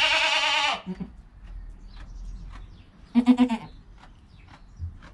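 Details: Newborn goat kid named Joel, within an hour of birth, with his calm mother Penny nearby; one loud quavering bleat opens, then quiet rustling and a short pulsed low bleat.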